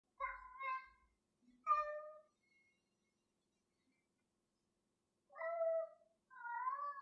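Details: Gloria, a pet cat, meowing while playing with a piece of string indoors: two harmonic meows near the start, a quiet gap, then two more drawn-out mews toward the end.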